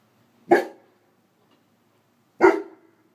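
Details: Bentley, a 10.5-month-old intact 95-lb male Greater Swiss Mountain Dog sitting on a porch, alerts passers-by that he is there with two loud, sharp full barks spaced about two seconds apart, with near silence between them.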